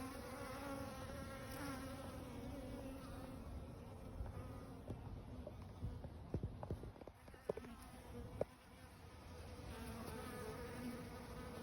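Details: Bees at a garden barrel pond drone in a steady buzz that hums throughout, rising and falling slightly in pitch.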